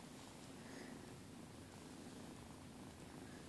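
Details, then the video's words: Pet cats purring on a bed one morning: an even, low rumbling purr steady throughout, soft indoor room tone, no other clear sounds. "purring on the bed"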